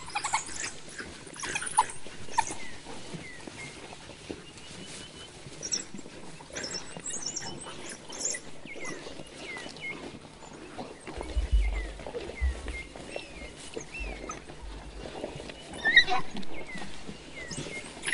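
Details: African wild dog pack feeding in mass excitement on an adult male impala killed by a male named Jiggy, with pups present; high, thin chirping twitters scattered throughout over tearing, crunching feeding noises and rustling.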